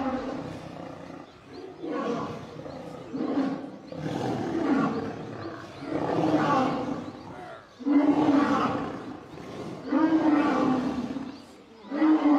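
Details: Male lion under attack by a group of lionesses: harsh, rasping snarl-roars come in loud bursts about every two seconds, each with a low, throaty, wavering tone and noisy breath between them.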